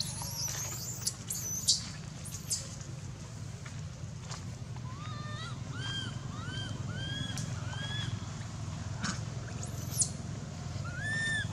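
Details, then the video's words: At Angkor Wat Temple baby monkey Anissa cries in pain after Aron hit her and dragged her across hard earth; a run of arched, wavering squeals repeats roughly every half second, with sharp high squeaks and rustling earlier. "Baby Monkey Anissa Cries Breaking Mouth Pain Aron Hit And Drag Her Across The Hard Earth"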